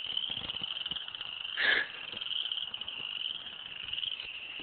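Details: Unidentified frogs in a swampy creek area called a huge frog nest, chorusing; a dense, steady high trill runs throughout, interrupted briefly near the middle by a louder short squeak or knock, with soft rustling underneath.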